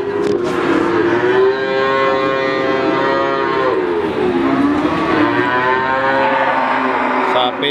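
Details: Several cattle mooing together at the Wagenan cattle market, Pati; long sustained lows that dip and rise slowly in pitch, layered over one another across the whole stretch, with constant market din behind.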